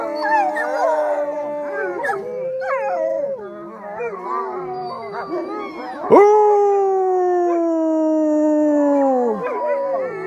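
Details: Gray wolf (Canis lupus) howls from a captive pack of eight wolves in B.C., Canada, with a person howling along: long, overlapping, wavering tonal voices, then one steady falling howl.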